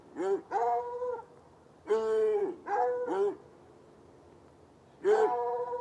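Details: Two hounds chained outdoors by a red outbuilding near an irrigation ditch, barking on a Saturday night about ten yards away; a run of short, bending bays in quick pairs, a pause, then another bay.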